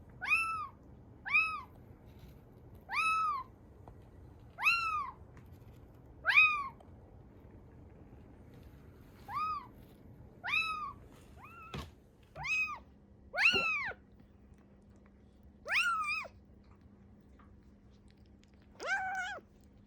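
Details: Rescued kitten Ame, estimated three to seven weeks old, found soaked in heavy rain in Osaka on 13 August 2021, giving a run of about eleven short, rising-then-falling meows, some paired, spaced one to two seconds apart indoors.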